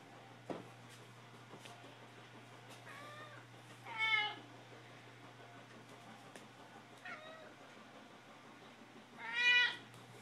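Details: Domestic cats meowing for food indoors: a soft meow near three seconds, a loud harmonic-rich meow at four seconds, a faint one near seven seconds, and a strong rising-falling meow at nine and a half seconds; a person speaks briefly, low hum throughout.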